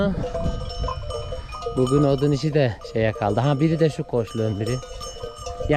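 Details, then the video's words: Male lambs newly separated from their mothers, bleating for them: after a quiet, rustling start, a run of wavering, quavering bleats from about two seconds in, several voices overlapping, with a faint bell-like ringing in the background. "ARTIK KUZULAR ANNELERINDEN AYRILDI | ANAAAA ANAAA nerdesin diye bağırıyorlar"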